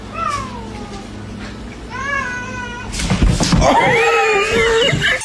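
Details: Domestic cats being teased: two clear, falling meows in the first two seconds, then a louder drawn-out wavering meow through bursts of rustling and handling noise.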